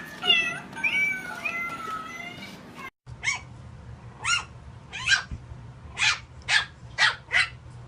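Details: Domestic cat from a funny cat compilation: several overlapping drawn-out meows with wavering, rising and falling tones for about three seconds, then a run of short, sharp dog-like barks repeated roughly every half second.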